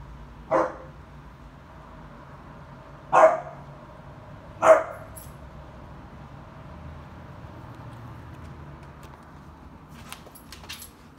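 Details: Irish Wolfhound puppy barking at something unknown, recorded 2020-07-19: three short, sharp barks at about half a second, three seconds and four and a half seconds, then quiet apart from a few faint clicks near the end.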